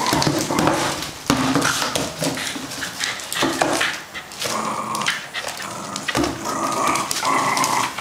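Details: Two-year-old male fox terrier chewing up a carton box indoors in Hong Kong one evening; harsh throaty growls and snarls in uneven bursts over crunching, scraping cardboard.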